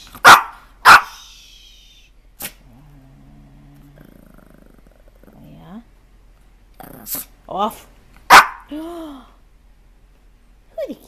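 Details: Puppies bark in short, sharp yaps, two close together and then scattered ones, with a few whining yelps that drop in pitch. The setting is otherwise quiet.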